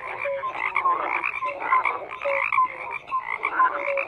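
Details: Chorus of croaking frogs, rattling raspy calls overlapping with short pure whistle-like notes at regular intervals, dense and unbroken.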